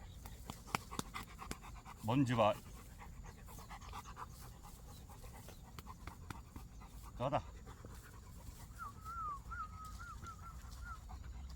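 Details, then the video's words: Labrador Retriever puppy, an abandoned dog rescued after falling into a drain and crying alone, gives a thin, wavering high whimper that rises and dips in short pulses near the end, after snuffling, panting and a couple of brief human voices. "배수로에 빠져 울고 있던 새끼 강아지"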